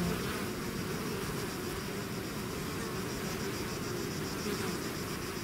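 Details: Swarming bees out of their hive produce a dense, steady hum, many wingbeats blending into one continuous buzzing drone that holds level throughout the short stretch.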